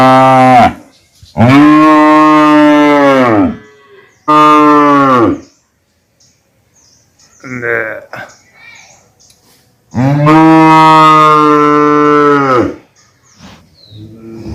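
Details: Repeated calf mooing: several loud, sustained moos of one to three seconds, separated by silences, plus a shorter faint call midway.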